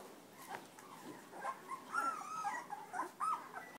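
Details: Black Labrador Retriever puppies, part of a ten-pup December 2010 litter, nursing from their mother; a few thin, high whimpering squeaks, some rising then falling, scattered over soft background rustling.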